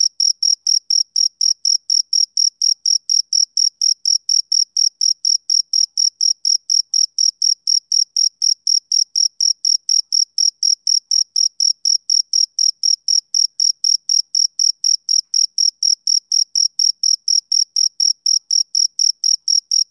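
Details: Long unbroken run of high, ringing chirps from a male cricket on a summer evening, pulses repeated rapidly and uniformly for the whole stretch, steady and rhythmic with no background noise.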